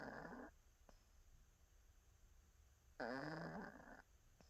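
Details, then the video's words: Sleeping cat at nap time gives two throaty snores, each a grainy, slightly wavering inhalation about a second long, separated by a quiet pause. "고양이 코골이"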